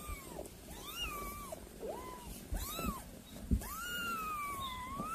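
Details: Kittens giving a handful of faint, arching mews that rise and then fall, spaced about a second apart, over a steady low background hum.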